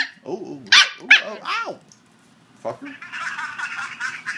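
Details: A 9-week-old male red sesame Shiba Inu puppy gives short, rising-and-falling howling yips, 'singing' when asked, followed by a burst of rustling.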